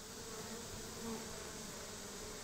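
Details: Honey bees swarming around a hive being worked among grape vines, with brood and honey in the frames; a continuous even buzz with a low humming tone holds steady throughout, and no speech is heard.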